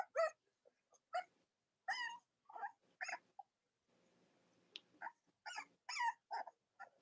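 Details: Cavalier King Charles Spaniel puppies from Robin and Myra's litters, indoors on a chilly Monday morning near Halloween in the US, give short, high, squeaky whimpers in scattered bursts with brief pauses between them.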